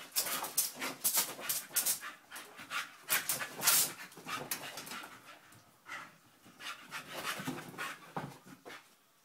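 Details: Honey, a nine-month-old Staffordshire bull terrier puppy, plays with sellotape: quick breathy panting puffs in irregular bursts, mixed with sharp crackly rustles and snaps, louder in the first half and fading toward the end.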